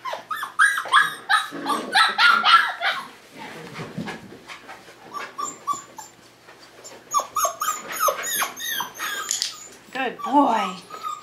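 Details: Five-week-old Tamaskan Dog puppies playing the Puppy Culture box game indoors give quick, high yips and short whines in busy bursts, with scratching and clatter between calls and a quieter stretch midway.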